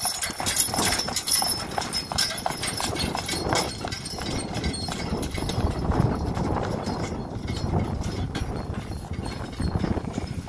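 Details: Driving a registered Friesian sport horse: repeated muffled hoof strikes keep a regular trotting beat for about ten seconds, mixed with constant rolling and rattling noise and a faint high whine.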